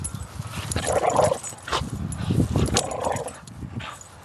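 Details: Five-year-old female pit bull playing tug of war with its owner on July 8, a playful rather than aggressive display; harsh, noisy growls come in two rough bursts, joined by low scuffling and thumping from the struggle.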